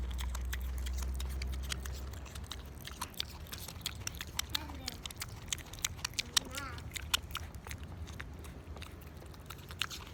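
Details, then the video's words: Pickles the pig crunching an apple in a small room, loud smacking chews and bites repeating roughly three times a second; a person's brief voice and a steady low hum early on, with short grunt-like snorts mid-clip. "Pickles the Pig eating an apple. 🍎 He makes it sound so delicious!"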